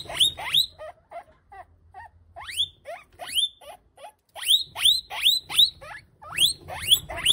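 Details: A guinea pig fed to a monitor lizard squeals in quick bursts of piercing, falling whistles, with softer chirps between, several per second.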